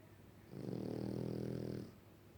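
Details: French Bulldog snoring in its sleep, one drawn-out, gravelly, vibrating snore lasting over a second that swells in and fades out, low-pitched with a rapid rattling flutter, quiet before and after.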